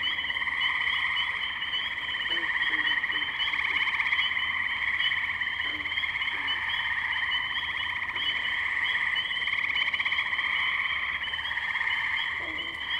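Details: Chorus of tree frogs at wetlands in Firestone Park, Columbiana, Ohio, captured May 6, 2023 on a Zoom H2n; continuous shrill trilling from many frogs swells and eases in waves, scattered faint lower notes underneath.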